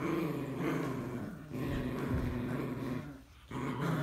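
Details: Morkie versus Yorkie: two small dogs growling, a throaty low harmonic rumble broken by two short gaps, the second near three and a half seconds, then picking up again.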